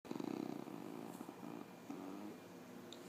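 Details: Bailey, a female puggle just home from spay surgery, makes low, wavering whimpering noises with a quivering, tremulous quality, holding steady then fading; a soft voice asks what she is doing.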